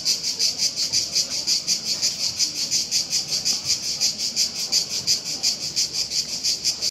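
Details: Several cicadas in Split make a loud racket, a continuous, high-pitched drone that pulses rapidly.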